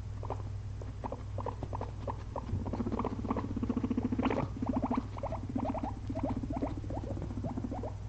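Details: Two pet guinea pigs napping after a long day of munching frozen blueberries; short squeaky notes come in quick irregular runs over a low buzzy murmur, with a steady low hum beneath.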